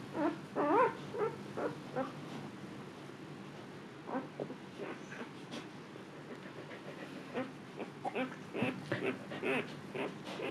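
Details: Wavering, high whimpers from Luna, a female Siberian Husky in her second labor, calmly giving birth to puppies indoors; a cluster of bending, tonal cries opens the recording, followed by fainter scattered whines and soft rustling.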